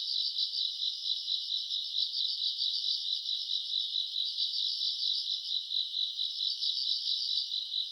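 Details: Grass insects on a summer night, recorded in August, with the owner's note of a faint breeze: dense high-pitched pulsing trill, fast regular chirps about two per second layered into a continuous shimmering chorus, no other sounds.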